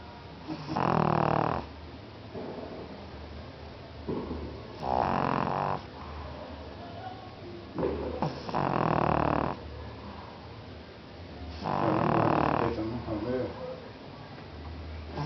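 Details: A sleeping pug snores in loud, rough, broadband bursts about every three to four seconds, each lasting roughly a second, with quieter wheezy breathing between them.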